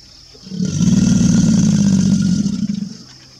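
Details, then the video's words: An American alligator bellows, a deep rumble swelling and fading over about two seconds. "American Alligator Bellowing"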